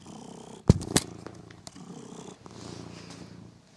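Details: Pet cat Figaro purring while playing with his new favourite toy mouse indoors; a low, rough, steady rumble runs throughout, broken early by two sharp knocks or clicks from the play.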